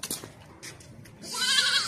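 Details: Beetal goat kept for sale in Hasilpur, Bahawalpur district, Pakistan: a loud, quavering, nasal bleat rises in the second half, preceded by scattered clicks, knocks and low rustling.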